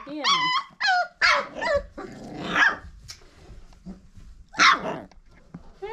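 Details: Five-week-old Old Family Red Nose Pit Bull puppies from Abby and Ragnar's litter give high, wavering whines and short yelps, several in quick succession, with a woman's voice talking to them between the cries.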